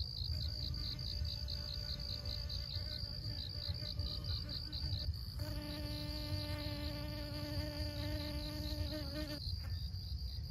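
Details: Honey bee pollinating flowers at Siosar, Karo, North Sumatra, Indonesia: a steady low droning hum with many overtones swells in clearly from about five to nine seconds, over wind rumble and a continuous pulsed high insect trill.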